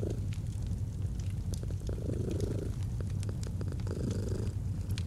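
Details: Low, even purring of a domestic cat, its rumble rising and easing in slow breath cycles, with scattered crackling of a fireplace fire throughout in an autumn ambience.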